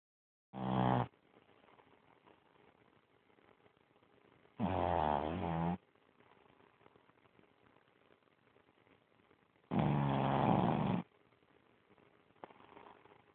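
A Boston Terrier snores in loud, rasping, throaty bursts about every five seconds.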